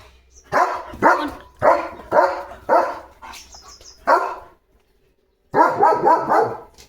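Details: German Shepherd barking indoors in a series of loud, harsh barks, roughly two per second, then a brief pause before a rapid cluster of overlapping barks.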